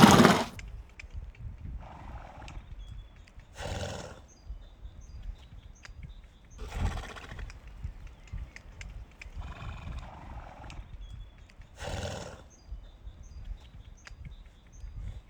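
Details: Horse blowing and snorting: short breathy bursts roughly every three to four seconds, with softer rasping breaths between them, over low rumbling background noise.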